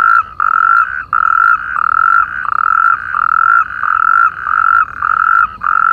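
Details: Several natterjack toads calling together from irrigation canals facing Perales del Río, Parque Lineal del Manzanares, producing long, loud, purring trills at one pitch, separated by very short gaps and almost continuous throughout.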